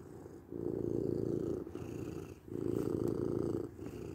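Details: Continuous low rumbling purr from a domestic cat in two long bouts, separated by a brief breathing pause, in a quiet setting.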